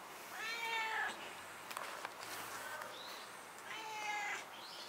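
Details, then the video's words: A 10-year-old stray cat, which followed its carer after she moved, meows while a grandmother talks with it: two drawn-out, harmonic-rich meows about three seconds apart, with a few clicks and soft handling sounds between them. "10살 길고양이와 대화하는 할머니를 보셨나요? Did you see the grandmother who talks to the 10-year-old straycat?"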